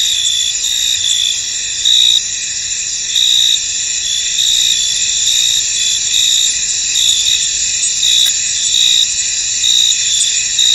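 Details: Misty field at night-like calm, crickets filling it with a constant high-pitched shimmering trill, punctuated by louder chirp bursts every second or two.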